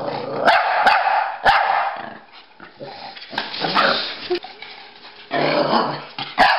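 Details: A Pekingese and a Bulldog at play chasing, with gruff barks and growling in dense bursts, brief pauses between, and a few sharp knocks or clicks scattered through.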